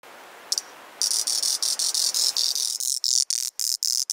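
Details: Auritibicen bihamatus cicada, a singing male, on Kunashir in the Kuril Islands: loud high buzzing stridulation starting after a brief click, then pulsing in rapid bursts with short gaps toward the end.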